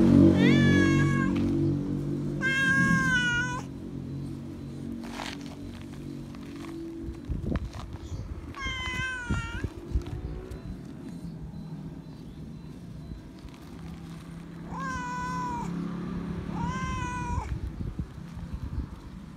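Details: Feral cat that still remembers a person, meowing loud for attention and love: five rising-and-falling meows spread across the recording, some in quick pairs, over rustling, low rumble and scattered knocks.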